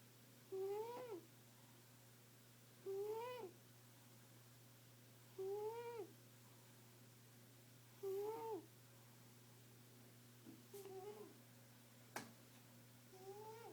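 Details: A female pet cat snores steadily: six clear tonal wheezes that swell and fall, one every two to two and a half seconds, later ones softer, plus a couple of brief clicks and a low hum.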